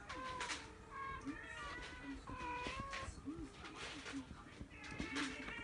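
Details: Munchkin kittens, a litter of five at 43 days old, mother named Mikan; several thin, high mews with bright overtones repeat through the clip, some overlapping, while soft low rounded sounds and a steady background hiss run underneath.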